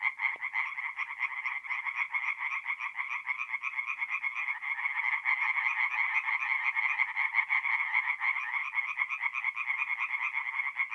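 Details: Chorus of tree frogs singing at night at a forest pond in mid-April in north-east Italy: dense, overlapping rapid pulsed croaks filling the whole span, several callers together, no other sounds.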